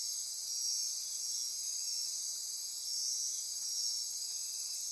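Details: Costa Rican rainforest insects calling at midnight near Corcovado on the Osa Peninsula; a thick high buzzing, trilling chorus rises in two soft swells, with ratcheting pulses woven through the constant drone.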